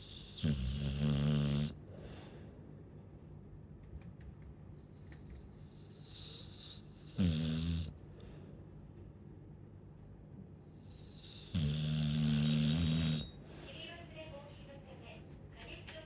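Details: Snoring Chow Chow dog, three loud low rumbling snores spaced about five seconds apart, each lasting one to one and a half seconds, with quiet breathing and faint hiss between them.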